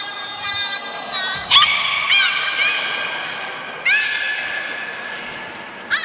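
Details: Beluga whale, Port of Nagoya Public Aquarium, Japan, 3 February 2019, feeding and post-feeding play. Strained, creaky harmonic squeals with quick upward chirps at their starts, several in six seconds, fading between bursts, hall echo behind.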